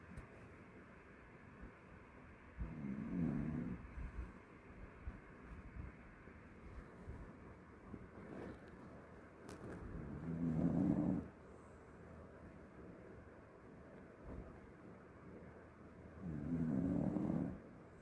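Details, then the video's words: Jjanga, a mixed-breed pet dog, snores in three low, rough breaths spaced about seven seconds apart, each lasting roughly a second, with quiet room hum between them. "짱아 코골이 집중하세요"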